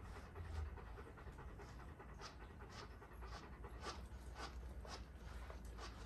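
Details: Golden Retriever panting while being brushed: quick, breathy bursts repeating steadily about twice a second over a low, constant background hum, with no voices or other animals.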